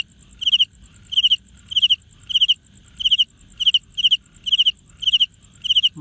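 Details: Cricket making its sound by rubbing its wings together; regular high trilled chirps, each a quick cluster of pulses, repeating roughly every 0.6 seconds against a quiet background.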